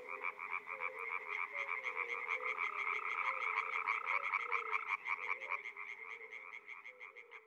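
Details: Dense chorus of frogs at a Czech pond or wetland in spring: many overlapping callers give rapid pulsed croaks at a moderate distance, forming a steady, throbbing wall of sound with no single frog standing out.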